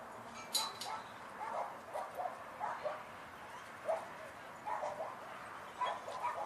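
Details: Several dogs at Sunset Dog Park bark in short, scattered bursts, some nearer and some farther off, over a steady outdoor hiss, with a few higher yips between the deeper woofs.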